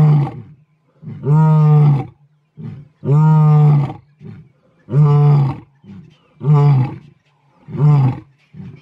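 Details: Mpondo males, big male lions in South Africa, ending a roaring sequence with deep grunting roars repeated roughly every one and a half seconds, each a low steady burst followed by a softer intake.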